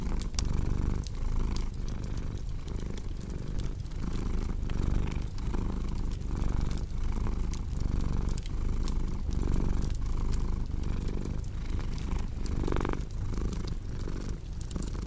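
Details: Domestic cat purring loudly and evenly, its throaty rumble cycling with each breath while a crackling fire pops and snaps throughout.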